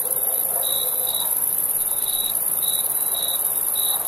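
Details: Nighttime crickets in summer give a few short, shrill chirps at irregular intervals over an unbroken, thin high insect hum; brief and otherwise quiet.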